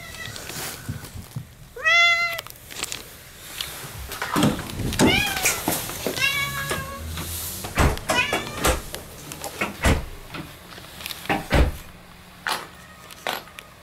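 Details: Welcoming her owners at the front door, pet cat Moo gives a few clear drawn meows with sliding pitch, the loudest early on, followed by scuffling, thumps and indoor bustle.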